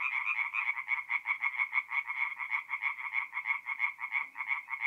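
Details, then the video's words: Tree frogs at a north-east Italian forest pond on an April night, calling in rapid regular bursts, roughly three per second, each a short harsh nasal croak, with overlapping callers keeping the rhythm tight. "relaxing forest pond by night with singing tree frogs"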